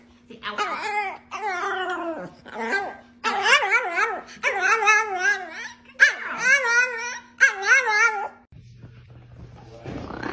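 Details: Chihuahua giving a run of about seven short, wavering howls with a warbling vibrato, each a second or so long with brief gaps. A steady low hum sits beneath, and a rustling noise follows at the end.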